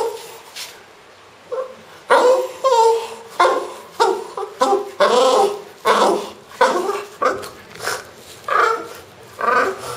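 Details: Pet French Bulldog named Pro producing strange, comical vocalizations: a run of short yelping, whiny bursts repeated roughly every half second to second, uneven in rhythm, with brief pauses.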